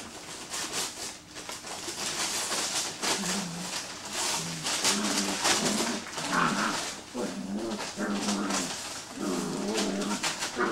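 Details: Six-week-old Greater Swiss Mountain Dog puppies indoors giving low, repeated whimpering grunts in short pulses, roughly one per second, over a busy background of rustling and shuffling.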